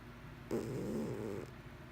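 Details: One rough, rattling snore from Mr Whiskers, a sleeping pet cat, about one second long and low-pitched, followed by quiet indoor stillness.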